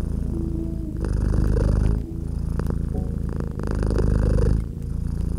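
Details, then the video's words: Pet cat nestled by a gently crackling fireplace, purring in a cozy winter room. A deep, continuous rumble grows louder for about a second, eases off, then builds again. Sparse crackles and mellow background music notes accompany it. "Relax with Purring Cat and Crackling Fireplace"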